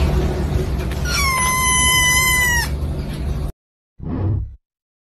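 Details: Cat giving a single drawn-out meow lasting about a second and a half, starting high and sliding steadily downward, over a constant hiss of background noise; a short separate burst of noise follows after a brief silence.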